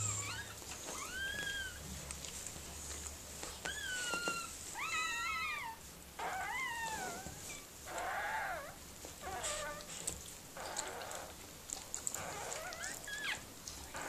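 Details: Indoor recording as Mirella, a Miniature Pinscher, gives birth to puppies: several high, wavering whimpers that rise and dip, followed by rougher, breathy bursts of noise and soft rustling, with a low background hum throughout.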